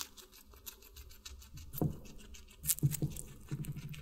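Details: A guinea pig eats watermelon for an animal ASMR mukbang: a few sharp crunching bites and moist chewing clicks in quick succession, set against a soft steady hum.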